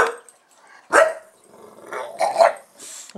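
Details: Buster, a pet bulldog, reacting as soon as the camera is switched on: three harsh, broad barks spaced about a second apart, the middle one loudest, with quieter huffing between them in a quiet room.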